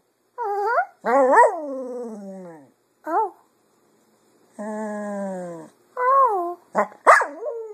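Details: Pet Cocker Spaniel, female, singing to imitate her owners' voices in the afternoon; short bent yowls and moaning notes, one held flat tone, with brief pauses between bursts and a sharp yip near the end.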